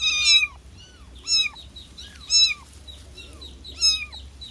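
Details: Kitten meowing to call its mother: four loud, high, arched meows with a downward slide, about one per second, separated by short pauses, over a low steady hum.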